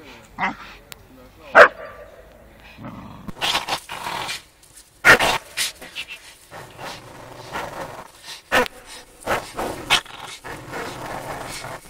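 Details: Two dogs playing: a four-year-old Staffordshire Bull Terrier with a five-month-old American Staffordshire Terrier; short scattered barks and growly yelps at irregular intervals, with bumps, scuffles and some human speech.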